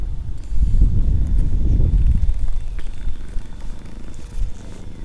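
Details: Stray mother cat and her kittens sleeping together in a back alley, filmed on a GoPro: a low, rumbling purr, strongest and steadily pulsing over the first two seconds, then softening into a quieter rumble.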